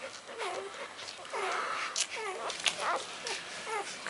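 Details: Two-day-old puppies from the Gemma x Dublin litter, delivered by C-section, squeak while feeding from their mother; thin arched whimpers rise and fall in short bursts, several pups calling over one another, with some rustling.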